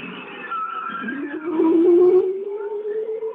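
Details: Bowhead whales in the Alaskan Arctic, on passive acoustic monitoring, give short warbling low notes that slide upward, the "w's, throps and thwops", with bearded seal calls behind and a ribbon seal heard earlier.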